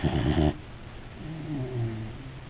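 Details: Blue, a Weimaraner dog, snoring while asleep: a loud, rough, rasping burst for half a second, then a quieter low droning rattle with a faint wavering tone partway through.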